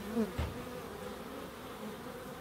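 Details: Close bee flyby in a small wildlife garden in Crookes, a quick loud buzzing burst at the start, then a gentler, wavering hum of insects in the background.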